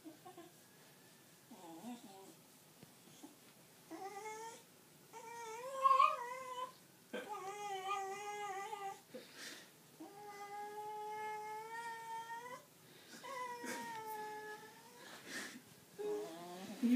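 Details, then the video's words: Nelly, a golden cocker spaniel, grumbles at being towel-dried indoors after a river swim: drawn-out, wavering harmonic moans and yowls rise and fall, broken by short pauses and rustling towel sounds. "Nelly's displeased with towel drying sound effects!"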